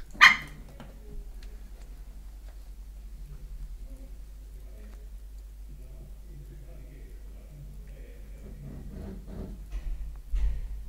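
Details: Facing a mirror for the first time, 13-week-old Chihuahua puppy Rambo lets out a single loud, high bark at the start. Quiet follows, with soft indoor rustling and low murmuring voices, and a few faint sounds near the end.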